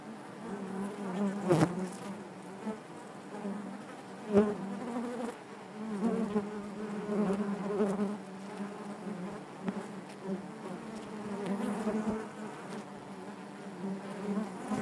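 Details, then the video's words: Honey bees inside their hive: a dense, steady drone centred low, with layered overtones and many overlapping wingbeats, swelling in short louder bursts every few seconds as individual bees pass close. "bees therapy hive natural buzzing sound"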